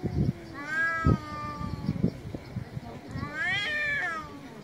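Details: Angry cat meowing hard: a long, wavering meow early on, then a second, higher, rising-falling cry near the end. Low thumps and handling knocks sound throughout.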